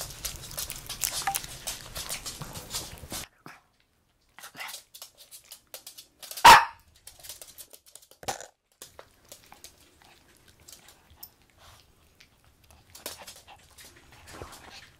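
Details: One of three Maltese dogs taking over a bed indoors: Jamong, a male born December 2015, and females Hwanta and their daughter Blue. A single sharp bark midway, with scattered rustling and small bumps and quiet gaps.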